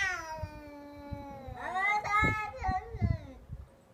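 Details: Cat making odd calls during a fight: a high, falling drawn-out wail followed by rougher, warbling yowls that bend up and down, with scuffling thumps and knocks underneath.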